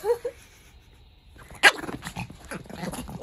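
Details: Kohaku the pet Chihuahua begs, changing its manner toward dad versus mum; two brief high whimpers open the recording, followed by a sharp knock and a woman's voice speaking.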